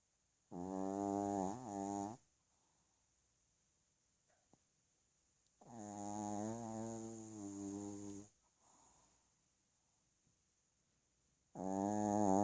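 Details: Sleeping dog snoring: three long harmonic, nasal snores with a wavering buzzy tone, each lasting about two seconds, separated by quiet pauses of several seconds in a small indoor room.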